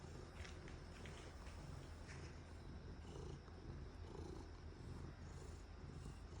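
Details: Cat purring contentedly while enjoying a back scratcher: a soft, continuous low rumble pulsing steadily without pause, with faint light rustling above it.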